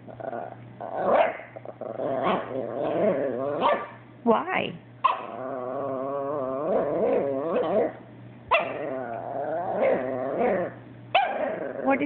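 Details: Abbie, a pet female Chihuahua, complaining at home after her Yorkie brother Sebastian took her toy; a run of whiny, rising and falling yowls and grumbles, mixed with a woman speaking to her and light background music.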